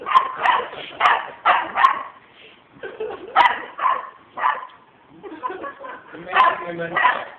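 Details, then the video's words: Radley, a pet dog, barks on Thanksgiving Day: a run of short, sharp, harmonic barks in quick bursts, roughly a dozen over seven seconds with brief gaps, while people talk and laugh nearby indoors. "Radley barking on Thanksgiving Day"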